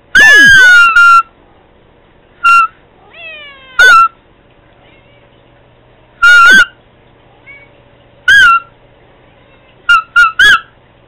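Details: A pet cat meowing toward Candy with loud, strained meows in quick bursts, each rising slightly then dropping. Softer sliding whistle-like tones come in the gaps.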